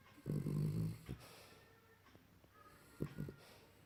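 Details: Dog snoring loudly in its sleep: one long, rumbling, low snore near the start, then a shorter, choppy snort about two seconds later.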